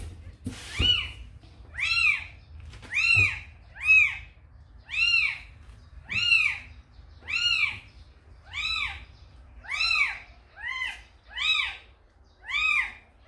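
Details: A calico mother cat called Samsaek, who carried a kitten to a house, meows about eleven times, roughly one per second: clear, harmonic, rising-then-falling cries of even length, with faint human voices indoors.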